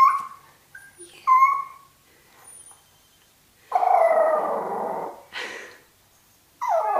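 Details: Toy Fox Terriers meeting a turtle for the first time, more vocal once it emerges from its shell; high whines and a drawn-out howling whimper with short yips between pauses.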